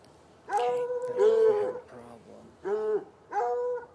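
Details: Two hounds, one white and one dark, chained outdoors by a red outbuilding and irrigation ditch on a Saturday night, about 10 yards away, give four musical bays. One is longer and louder; the rest are short and spaced close together.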